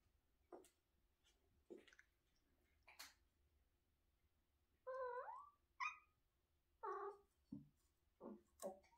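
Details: MiniMinski, a talkative male pet cat indoors, gives a run of chatty meows: short chirps first, then longer rising-and-falling harmonic meows around five to seven seconds, followed by brief trilled mews, with quiet room hum beneath.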